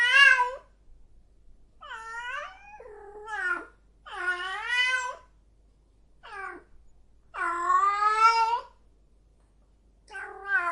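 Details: Female cat in heat caterwauling in a quiet room, a series of six wavering, moaning yowls of varied length, some short and dipping, others long and strained, separated by brief silences.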